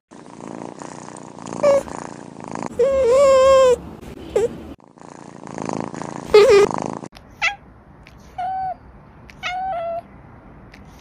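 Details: Domestic cat from a Douyin compilation, heard in several short edited cuts: low rumbling purr-like passages broken by brief mid-pitched meows, one held and wavering, then a run of short separate chirping mews in a quieter room.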